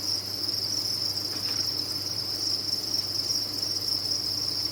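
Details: Crickets raised on a farm, numerous and calling at once, form a steady piercing high chirring chorus, with a faint low hum in the background.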